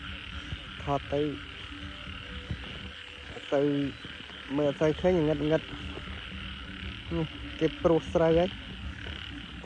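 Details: Frogs croaking at night after heavy rain during frog catching: clusters of nasal, harmonic croaks in short bursts separated by pauses, over a steady high insect hum.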